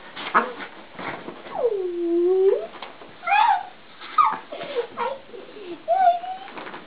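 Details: Siberian Husky indoors in a small room, waking its owner in the morning: drawn-out whines and yips, one long falling-then-rising moan near the middle and shorter high squeaks, with rustling between.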